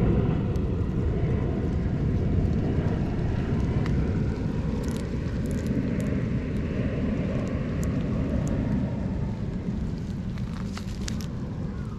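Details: Steady low outdoor rumble of vehicles or distant aircraft with faint scattered ticks above it, and no animal call.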